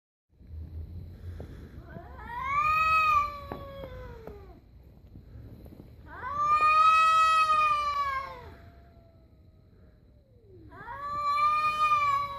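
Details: Stray cat yowling beside another stray, before a brief fight: long, wavering, harmonic-rich howls, each rising then sagging, three drawn-out cries about four seconds apart, with a quiet low hum underneath.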